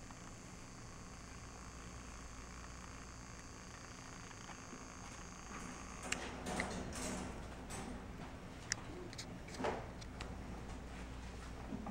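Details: A steady electrical hum runs throughout, with scattered soft knocks and rustles in the second half. No animal voice stands out.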